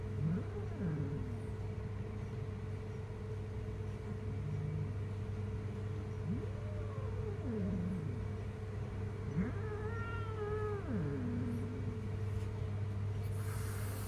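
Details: Jungle cat, described as very dangerous, giving several drawn-out, wavering yowls that rise and fall in pitch, spaced irregularly through the stretch, over a constant low, droning engine-like hum.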